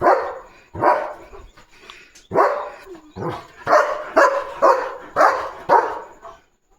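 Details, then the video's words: Leo, a German Shepherd, barks on guard as a parcel is delivered: a steady run of sharp, forceful barks about two each second, growing quicker toward the end. "German Shepherd Leo’s Full Day | 🍈 Papaya Treat 📦 Parcel & 🐕 Guard Mode ON!"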